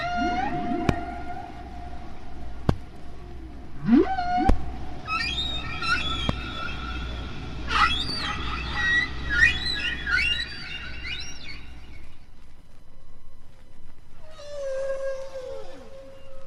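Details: A single humpback whale sings near Bermuda in spring, recorded by hydrophone in deep water and heard at natural speed. High squeaky whistles and swoops sit over low rumbling moans, with a steady low hum beneath.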